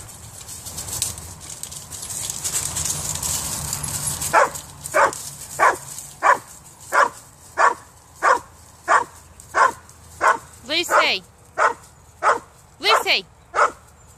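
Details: Female Hungarian Vizsla–Weimaraner mix barking after spotting a cat up a tree outdoors: after four seconds of rustling, sharp barks about every half second, about fifteen in all, some ending in whiny yelps.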